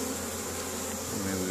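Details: Many honey bees busy at a hive during spring foraging in Caribou, Nova Scotia, Canada, May 10 2015, replenishing stores; brief stretch of thick, constant buzzing hum from the crowd of bees.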